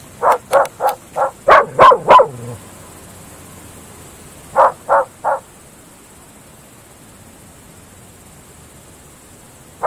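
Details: At night in open fields, Groenendael dogs (Belgian Shepherds) give a rapid volley of about seven loud barks, fall silent, answer with three more barks near the middle, then one final bark after a long quiet stretch.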